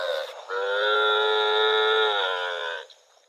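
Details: One steady, sustained moo of about two seconds from a cow roaming rural rice fields, holding an even pitch before cutting off.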